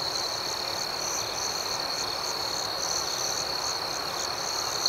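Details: Crickets chirping at night: a steady, high, shimmering trill runs without a break, with a fainter pulsing upper tone that beats several times a second over a soft hiss of background noise.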